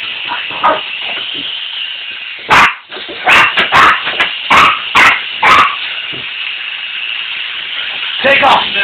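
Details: Puppies Toby and Tilly react to a flying remote control helicopter with a string of short, sharp barks spaced under a second apart. A man speaks over them, urging it to take off.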